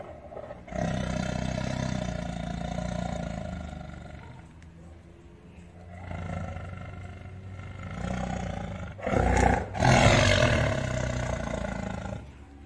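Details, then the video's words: Deep tiger roar: a long low rumbling roar, then a quieter pause, a second rumble and a final harsh burst near the end, heavy in low pitch with some rasping texture. "Scariest tiger roar ever"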